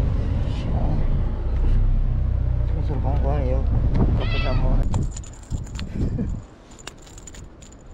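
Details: Stray white cat on the seaside tetrapods of a Japanese park, near anglers and alongside another cat; over heavy wind rumble it gives a drawn, bright meow with rich harmonics around the fourth second, then a person calls it and faint clicks follow.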